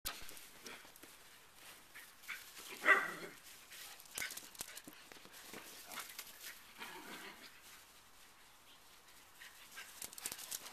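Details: Italian Greyhounds chasing each other; one gives a sharp bark or two amid scuffling and rustling noise.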